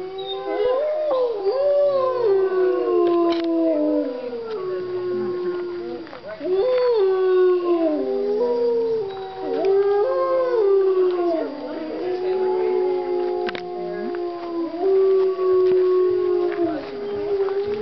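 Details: Several gray wolves at the Colorado Wolf and Wildlife Center howl together in the middle of the day, long drawn-out tones sliding up and down and overlapping in a chorus.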